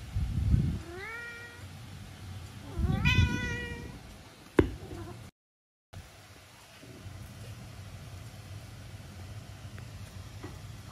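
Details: Norwegian Forest Cat meowing cutely while hugging: two drawn-out, rising-then-falling meows about two seconds apart, then a sharp click and a quiet room.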